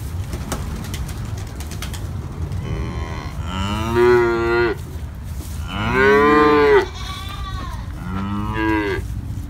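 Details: Calves and adult cows giving a series of moos, four separate rising-then-falling calls of varying length and loudness over steady low background noise, the loudest and fullest near the middle.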